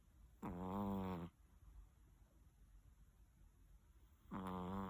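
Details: Big Chihuahua sleeping soundly in its chilled bed early in the morning, giving two heavy, rattling snores about four seconds apart, each lasting nearly a second, with soft room hiss between them.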